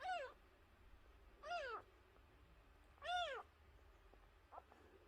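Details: Tiny nursing kitten, found wailing at the front gate and brought inside, cries three times in a steady series of strong, harmonic, rising-then-falling meows roughly one and a half seconds apart, then a faint short squeak.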